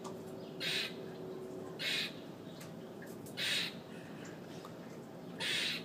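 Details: Squawking from a loud squirrel perched on a fire escape. Four rasping, broadband bursts are spaced about a second or more apart against a constant background hum.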